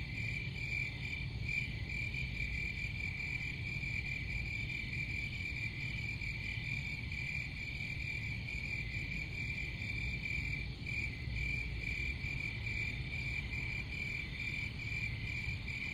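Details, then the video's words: Steady chorus of crickets, a bright high trill pulsing continuously throughout, layered over a constant deep rumble of background noise. "Crickets Sound"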